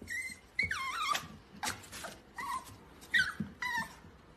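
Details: Cavalier King Charles Spaniel, a toy breed, whining indoors: high, thin whines in short bursts, some sliding downward, about six in four seconds, with light handling noise between them.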